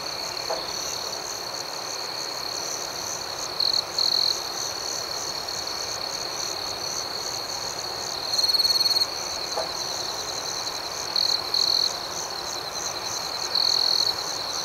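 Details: Crickets chirping at night in an outdoor setting: a steady high, shimmering trill holds throughout, with a louder, brighter burst of trilling near four, eight and a half, eleven and thirteen seconds.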